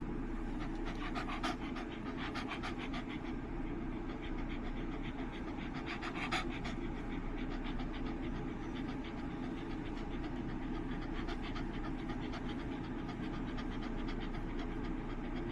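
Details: Shiba Inu named Chobi panting while its soft, chewy cheek skin is massaged; a steady, rapid, breathy panting runs through the clip with a constant low background hum.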